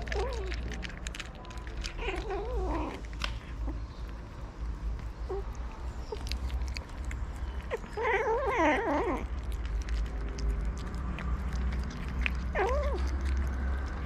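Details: Homeless hungry cats on a street in Morocco, fed daily by a local: several meows spaced through the recording, one long quavering wail near the middle, over persistent low-frequency rumble and frequent clicking background noise.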